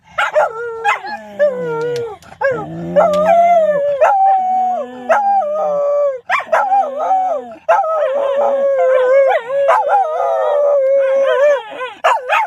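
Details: Shetland sheepdogs howling together: long, sustained, wavering tones with harmonics, several voices overlapping and sliding up and down, a few yips at the start, continuous for over ten seconds.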